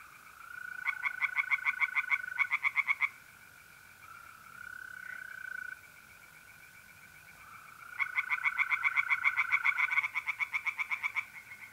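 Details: Tree frogs singing in a pond on a mid-April night in North-East Italy: bursts of rapid, rattling pulses come in two long bouts, with mole crickets holding steady, high, unbroken trills between and under them.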